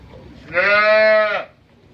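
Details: Friesian cross cattle at a dairy farm in Bhangura, Pabna, Bangladesh, where a second-calving cow is kept with her heifer calf; one steady, level, harmonic-rich moo lasting almost a second, rising and ending cleanly, over faint low background murmur.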